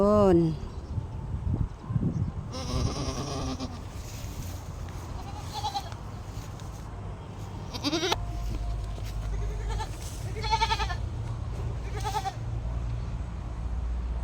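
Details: Domestic goat giving birth, owners nearby: a loud falling bleat opens, then a wavering cry near eight seconds and shorter harmonic bleats later, over steady low hum, with people speaking softly throughout.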